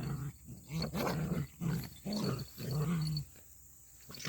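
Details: A puppy play-growls while roughhousing with its older brother. It gives low, rumbling growls in four or five bursts of about half a second each, with short pauses between. A steady high electrical whine runs in the background.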